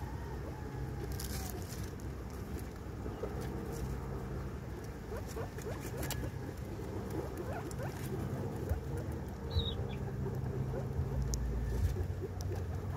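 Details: Female guinea pig giving birth to her baby. Soft, rapid, irregular chirps and short rising squeaks repeat several times a second over a low, steady background rumble, with faint rustling throughout.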